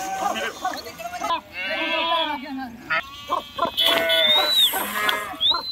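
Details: River crossing by a flock of sheep, several animals bleating in wavering calls, bursts of splashing between them, and a thin high whistle near the end.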